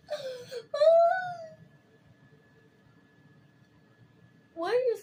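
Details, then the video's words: Kitten indoors giving two drawn-out, wavering meows close together, then a long quiet pause with a faint low hum, and a final falling meow at the end. "Kitty makes funny sounds"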